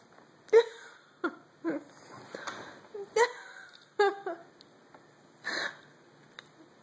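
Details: Remy the French Bulldog begs for pizza he can't reach, letting out a series of short, nasal, high-pitched whines roughly every second, mixed with snuffling breaths in a quiet room.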